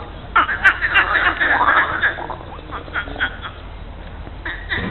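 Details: Frogs at the lily pond of Monet's garden, Giverny, France, on a mid-April Monday morning, giving rapid pulsed croaks in bursts, several frogs overlapping, the calls swelling and fading over a few seconds.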